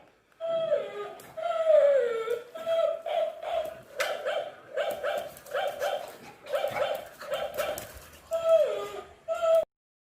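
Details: Shih Tzu fighting with a toy dog, uttering sharp yips and whiny barks about once a second, some sliding downward into a whimper, with faint rustling between calls.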